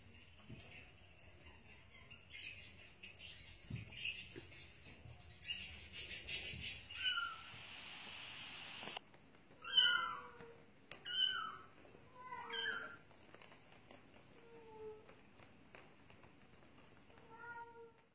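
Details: Bengal cat and kittens: after a stretch of soft rustling and hiss, a run of high, downward-sliding mews, several loud ones close together and then fainter, spaced ones toward the end.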